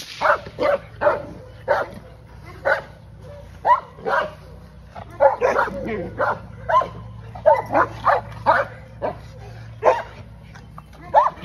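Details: Loud, irregular barking from Aries, a female English Mastiff, in her first training session, with bursts coming in quick clusters and short gaps between them.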